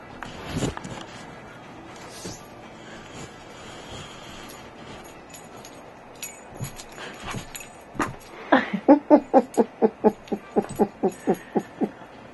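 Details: Dog jumping up to see who is on the bed, indoors; a quiet stretch with a few soft sounds, then a fast run of short, evenly spaced yips or whimpers, roughly two per second, over the last four seconds.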